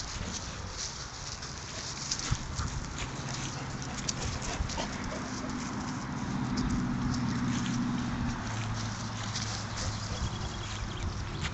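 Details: Dogs playing together in a dog park in Mariehamn, Åland Islands, on 30 April 2012; low, drawn-out tonal rumbles like growling rise and fade through the middle seconds over a steady hiss of background noise.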